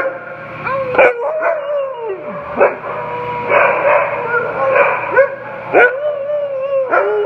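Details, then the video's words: Siberian Huskies, a rescued pair seeking adoption, give sustained howls that slide gently downward, interrupted by sharp yelps and barks every second or so, with both dogs calling over each other in a noisy chorus. "Howl-In with Ella and Hauser"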